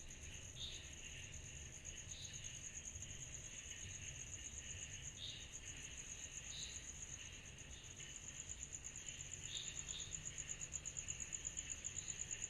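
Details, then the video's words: A nocturnal summer chorus of cicadas. An unbroken, rapidly pulsed high trill grows louder near the end, and short buzzy swells repeat roughly every one to two seconds over a softer drone. "Summer Night Cicadas Sound Effect"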